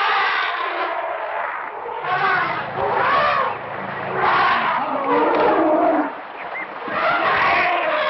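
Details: In Kruger National Park, African elephants trumpet in loud, brassy blasts that swell and fade every couple of seconds.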